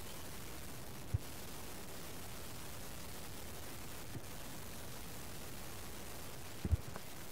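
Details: Steady hiss of wind or static at sunrise in the Sabi Sand wilds, with a few faint clicks and no animal calls.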